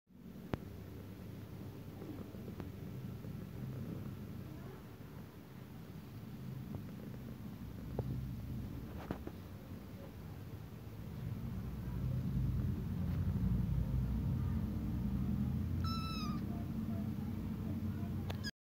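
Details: Kittens heard close up with a continuous low, rumbling purr running throughout, joined near the end by one short, high meow.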